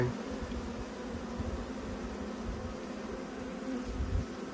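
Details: Honey bees buzzing in an open hive while a beekeeper works through his twelve colonies in autumn; a continuous low hum over a rumbling, wind-like undertone, with small bumps near the end.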